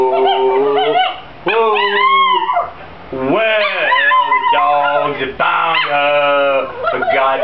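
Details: A singing Chihuahua gives several long, wavering howls, some rising then falling in pitch, split by short pauses; the phrases sound almost tuneful, with soft whimpering tones between them.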